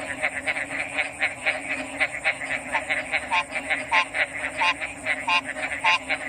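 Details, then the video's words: Chorus of frogs with loud, regular croaks roughly every half second, each a short bright burst with a lower throaty note, layered over a softer continuous background chorus and a steady high hiss. "RELAXING ORIGINAL FROG'S SOUNDS"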